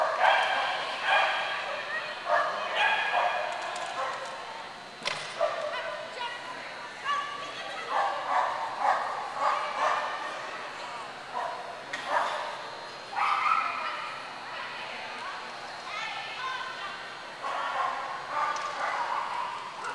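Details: Clumber Spaniels at Concord, November 2009: rapid, excited barking and yips come in clustered runs over twenty seconds, with a woman's voice praising the dog nearby.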